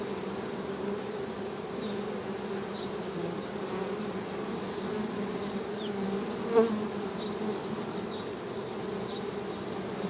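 Honey bees give a steady, low droning hum with a slight waver, holding constant throughout.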